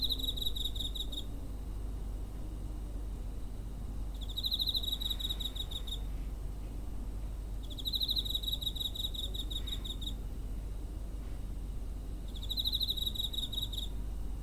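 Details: Cricket chirping near home in September 2023, recorded on a TASCAM DR-05: four evenly spaced high trilled bursts, each roughly one to two seconds, separated by pauses of about two seconds, with low droning noise underneath.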